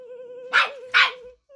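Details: Pet dog barking at a young child at home, recorded 21 December 2021: two sharp, loud barks about half a second apart over a steady, wavering mid-pitched tone, like music, that continues throughout.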